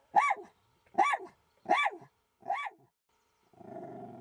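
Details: Jack Russell Terrier in a standoff with a fox that ended unharmed: four sharp, high barks spaced under a second apart, then a low, rough growl begins and carries on to the end.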